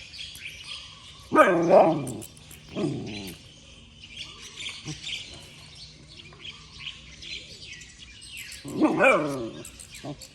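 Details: A puppy barks in the early morning: two clusters of high, rising-and-falling yaps early on, a long lull filled with soft bird chirping, then another bright yap burst near the end.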